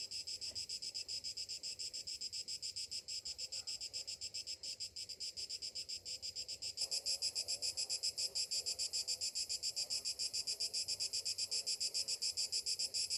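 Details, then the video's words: Rhythmic buzzing of cicadas on a summer morning, pulsing roughly three to four times a second. About halfway through the chorus jumps noticeably louder and brighter, then holds steady. "Morning summer cicadas sounds"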